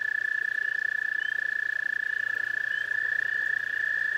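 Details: Toads calling at a garden pond: one long, steady, high musical trill of rapid pulses, unbroken throughout, with faint chirps of another caller above and a low hum beneath.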